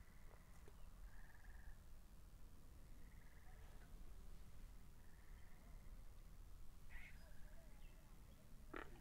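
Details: Frogs by a pond in a binaural recording: short, steady, buzzy trills at a fairly high pitch return every two to three seconds, with a few sharper, clipped croaks in between, over a constant low rumbling background.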